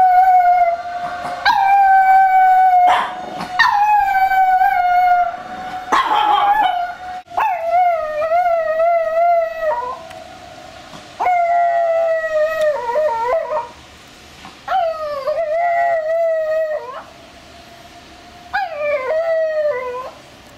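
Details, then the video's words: A female long-coat Chihuahua howls in response to a siren, in long, wavering tones rising and falling in pitch with short breaks between, while another startled dog barks. "チワワの遠吠え Chihuahua howling dog 犬"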